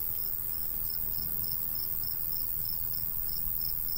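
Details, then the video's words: Countryside crickets in summer keep up rapid, regular high chirps, several each second, against breezy low-pitched wind noise and a faint steady hum. "Countryside/cricket sounds"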